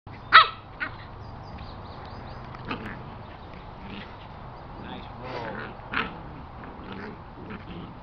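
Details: Two corgi puppies playing, recorded July 13, 2021, give a sharp high yip followed by softer squeaky yips and whines.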